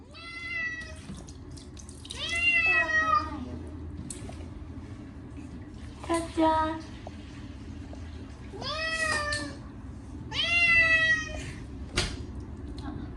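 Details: Chacha, a short-legged Munchkin cat, yowls loudly during his once-a-year bath with catnip shampoo on a hot day: five long harmonic meows, some rising then falling, with splashing water and a running tap in the background.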